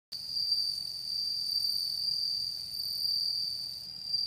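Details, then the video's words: A bell cricket, recorded on Aug 4, 2014, sings a steady, high, ringing tone that holds without a break. "Bell cricket 2"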